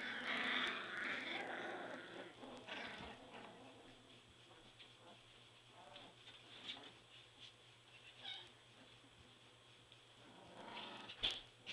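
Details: Three-week-old Border Collie puppies in their whelping box squeal and whine in high thin bursts, loudest at the start, then scattered short yelps and squeaks over a steady low hum.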